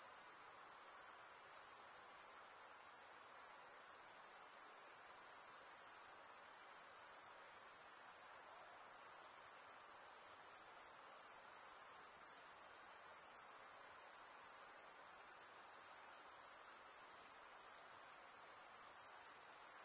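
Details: A dense wall of night insect calls, shrill and high, sustained without pause; a slight dip in loudness around six seconds, otherwise constant and uniform.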